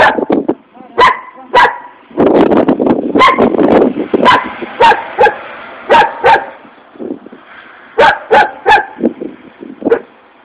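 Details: An angry dog barks rapidly and insistently, with dense overlapping barks and a rougher, growling stretch early on, then loud single barks in quick groups.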